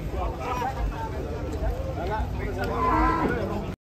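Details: A large-horned cow lows among a crowd, giving short wavering moos that rise and fall over nearly four seconds while people talk nearby and a constant hum sits underneath.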